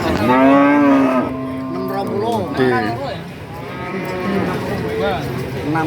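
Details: Cattle market at Pasar Pahing, Nganjuk, East Java: a loud, level, low moo opens, followed by shorter bending lows amid background chatter and crowd noise.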